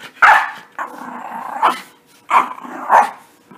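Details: Bathed puppies in playtime: four loud sharp barks roughly every half second to second, joined by a steady rough growl running underneath between them.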